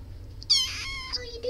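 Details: Cat meowing indoors: a single short, high-pitched meow with a bright harmonic stack, slightly falling, lasting about half a second, followed by a faint trailing squeak over a low background hum.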